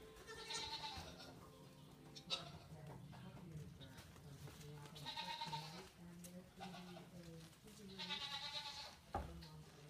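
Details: Goats, among them 8-week-old kid Mildred, meet Frances the deaf Saint Bernard puppy; three separate warbling bleats arrive roughly every three to four seconds, with people talking quietly underneath and occasional knocks.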